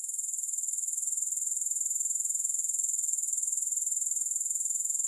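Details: Soothing grasshopper sound, no music: a high, thin, shimmering buzz throbbing in an even rhythm of roughly two beats per second, steady throughout with nothing else audible.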